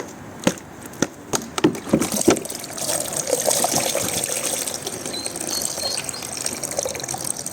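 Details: A few sharp knocks, then running, splashing water trickles and pours steadily.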